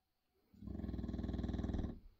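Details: A 6-year-old English Bulldog in Bodmin on February 23, 2023 snores loudly in a rattling, low, fluttering drone lasting over a second, likened to a jackhammer or traction engine.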